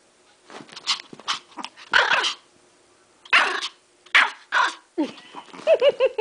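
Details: Pet dog, one of two, indoors before snow, told to speak: several short, sharp barks about a second apart, then high-pitched tonal whines and yelps at the end, with a person's voice nearby.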